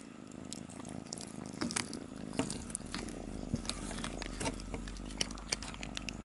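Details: Cat eating inside a trap, a steady low rumbling purr running under sharp crunching and clicking chewing noises throughout.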